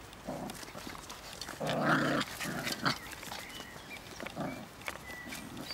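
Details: Bichon puppies aged five weeks and two days, exploring a wild grassy bank outdoors near the house: short whines and soft growly yelps in bursts, one louder drawn-out whimper near two seconds, with faint outdoor background.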